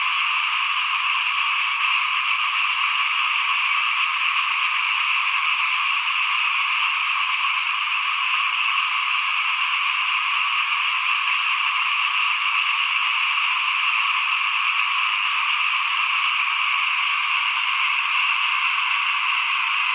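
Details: Frog chorus at the front of a house during 2021 rice sowing: a steady blanket of high, rapid, overlapping calls, unbroken and even in loudness across twenty seconds.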